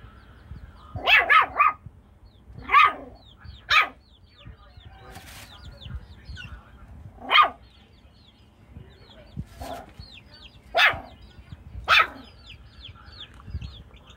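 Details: Jack Russell Chihuahua dog playing with chickens, giving sharp barks in irregular bursts, a quick double and triple at the start, then single barks spaced several seconds apart, with high bird chirps behind.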